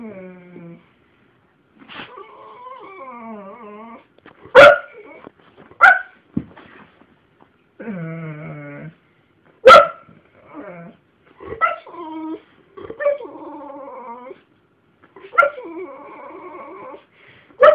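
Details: Two family dogs, a five-year-old English Bull Mastiff and a five-year-old Jack Russell, filmed on a phone; long wavering whines with sharp yips and barks breaking in, repeated across the recording.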